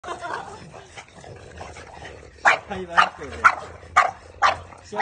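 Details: French Bulldogs in blue, blue fawn, white and black, with a Maltese, fight on grass, giving sharp, yappy barks about twice a second, with a person talking over them.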